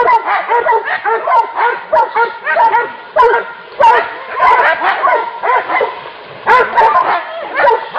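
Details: Hunting dogs barking while hunting wild boar: rapid, harsh, overlapping barks in dense bursts, almost continuous, with short yips between them.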